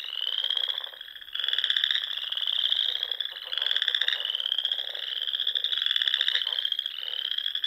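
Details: Many frogs calling at dusk in spring from ponds among the Sandhills dunes of Nebraska, continuous high trilling that rises and falls in loudness roughly every one and a half seconds.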